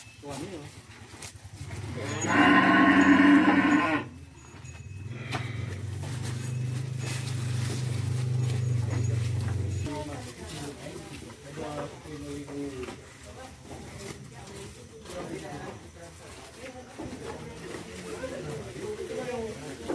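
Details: Cattle and buffaloes, including Balinese cows, being herded and fed on a farm; one loud harmonic moo lasting about one and a half seconds, followed by a long low droning bellow, then quieter background sounds.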